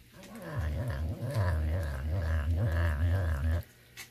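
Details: Serval indoors during cold snowy weather, grumbling at the snow: a long, low, continuous growl lasting about three seconds, wavering and pulsing in pitch, ending abruptly, with a woman's voice soothing him.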